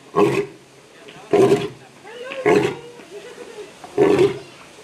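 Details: Lion at Memphis Zoo, its voice ringing through the zoo: four short, deep, grunting roars, each about a third of a second long, spaced roughly every 1.2 seconds.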